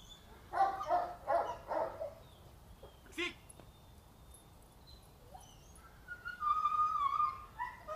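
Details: Female Boxer aged 2.5 years, in training for pushy, vehement behaviour toward other dogs; three quick barks, a short sharp yelp, then a high, wavering whine near the end.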